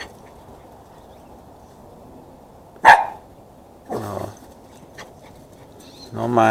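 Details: Chihuahua cross dog running around wildly: near-silence broken by one sharp, loud single bark, followed by a person talking.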